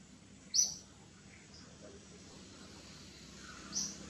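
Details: Baby monkey Gigi crying in fits to call its mother Gladdis: two short, piercing high squeals, one near the start and one near the end, over a quiet low background hum.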